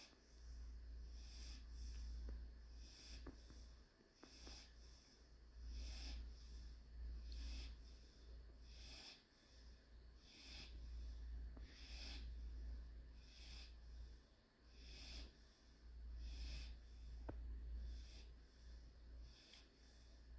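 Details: German Shorthaired Pointer puppy named Panzer during its daily nap, filmed Tuesday 2/9/21 indoors: soft, airy snorting breaths repeating about every 1.2 seconds over a steady low room hum.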